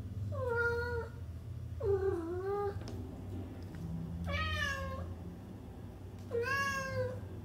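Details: Domestic cat meowing four times, each call a drawn-out, slightly falling and rising tone, with pauses of about a second between calls, over a steady low hum.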